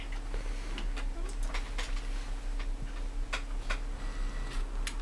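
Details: Irregular soft ticking and tapping clicks in a small indoor room over a steady low hum, with no animal voice.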